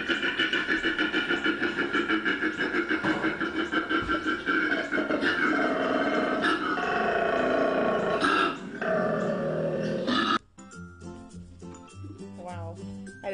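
A male koala's deep mating bellow: rapid rasping, snoring grunts pulsing about three times a second.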